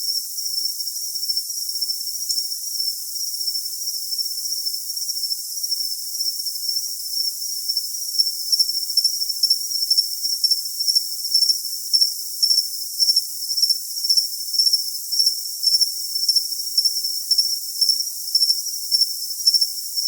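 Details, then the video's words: A steady, shrill cricket trill that grows stronger and more clearly pulsed after about eight seconds, repeating chirps close to two per second, nothing else audible. "Cricket Sound"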